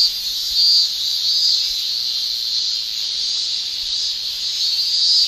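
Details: Japanese cicadas in summer make a constant high-pitched sizzling drone. Faint brighter accents briefly ride on top near the start and end. No other clear sounds.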